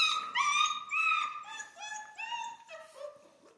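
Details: Central Asian Shepherd puppies from Michigan whine continuously, a run of drawn-out, nasal cries that step gradually lower in pitch, each lasting about half a second.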